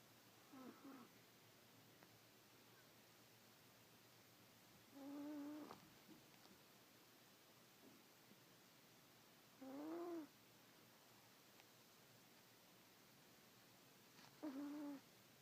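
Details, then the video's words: Sleeping dog snoring with a funny sound: short nasal rasping snores recurring about every four to five seconds, each under a second long, in a quiet room. "Funny dog snoring"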